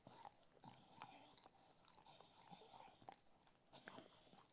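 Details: Ted the Cocker Spaniel munching food, giving rapid crunchy bites and moist mastication noises, grouped in short clusters roughly every second, against a quiet background.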